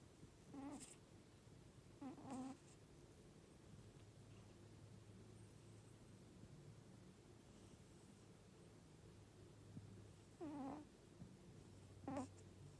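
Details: Cat snoring quietly, giving four short whistling squeaks at uneven intervals of two to eight seconds, over a steady low hum.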